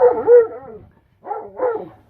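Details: Ten-day-old German Shepherd puppies being shown and doing well: a clear, tonal, wavering whine, then two shorter rising-falling cries after a brief pause.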